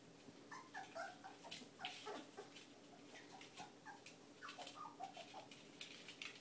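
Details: Whippet puppies from the litter of a female named Kandy, several pups giving thin, high squeaky whimpers in short overlapping bursts, some rising and falling, over soft rustling and clicking handling noise.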